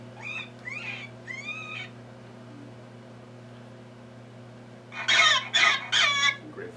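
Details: Rabbit scream from a hunting tape made to lure predators, a call given under duress: after some faint arched cries, three loud, harsh, noisy screams come in quick succession over a steady low hum.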